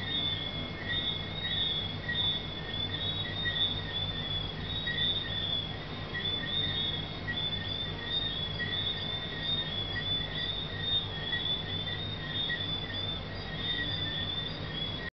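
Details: A dense night chorus of tree frogs in Negril, Jamaica, with high thin chirps and whistles overlapping without pause.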